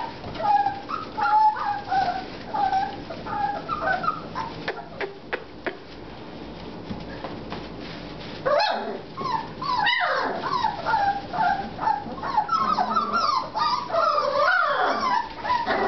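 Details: Young American Bulldog puppies, 4.5 weeks old, whimper on and off, softer wavering cries early on, then a louder, denser chorus of rising and falling squeals and yelps over the second half.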